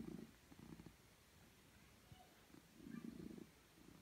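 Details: House cat on a laptop giving a soft, low purr, heard as two rumbling swells separated by a quieter pause, fairly faint overall.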